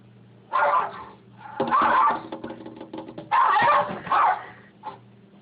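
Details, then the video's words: Rat terrier named Sam reacting to a noise at the window, a foster pit bull named Atlas present; four loud harsh barks in two pairs, over a steady low hum. "Sam the rat terrier vs. The Noise at the Window"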